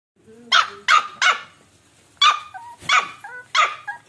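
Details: Samoyed puppy while eating, giving six short, sharp yapping barks in two loose clusters over about four seconds, with faint whiny tonal squeaks between them in a quiet indoor setting.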